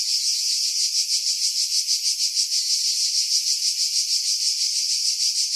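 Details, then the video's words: Cicada chorus in July 2018 among pine trees above Pefkos Bay on Skiros, Greece; a steady shrill rasping drone with rapid regular pulses about three per second, wind buffeting filtered away, recorded on a Sony RX3 with external microphone. "Cicada Sounds, July 2018 Skiros, Greece"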